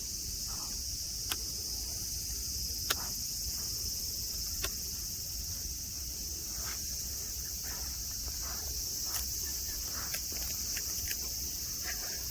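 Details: A constant high-pitched cicada chorus fills the air at Nara Park in Japan, a bright grassy spot with tame deer; sharp isolated ticks punctuate the even metallic drone.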